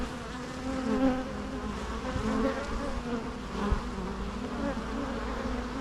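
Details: Bees humming in a steady low drone, with brief louder swells as individual insects fly nearer, plus a couple of faint clicks.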